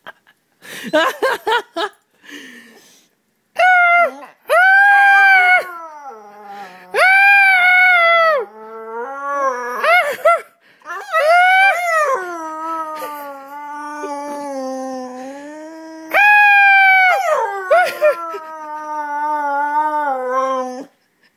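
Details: Charlie, a pet dog indoors, imitates its owner with drawn-out, wavering howl-like vocalizations, rich in harmonics, rising and falling in long bursts separated by short pauses, some louder yelping notes near the start.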